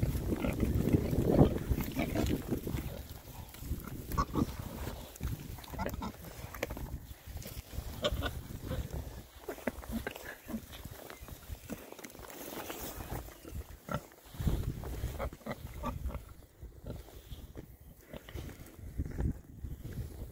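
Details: Six happy Oxford Sandy and Black boars, a rare breed, on a winter forage between storms. A steady run of short, low grunts repeats over twenty seconds, irregularly spaced, with rooting and shuffling noises throughout.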